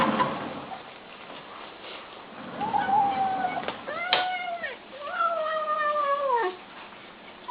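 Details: ['Kittens calling while eating. After a quiet start, drawn-out whining meows come in two long calls, the second held for about a second and a half before dropping at the end.']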